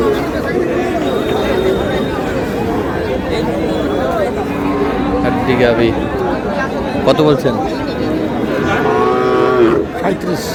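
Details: Lean dairy cows for sale at the Aftabganj haat, a Bangladeshi cattle market, 12 May: several long, harmonic moos, the loudest near the end, over a constant din of people talking and haggling.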